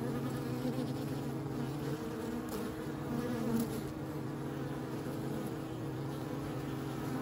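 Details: Bees buzzing in a dense, steady low drone with layered harmonic hum and faint ticks and clicks over the top.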